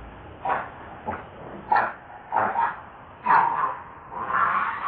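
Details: Baby monkey Lucie, very hungry, cries to beg for milk. About five whimpering, wavering cries come roughly once a second, the last one drawn out longer, with faint hiss between them.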